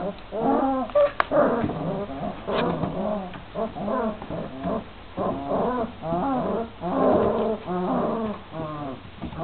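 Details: Twenty-six-day-old Šarplaninac puppies whine without pause, several voices overlapping in rising-and-falling cries repeated about once a second over a low background hum.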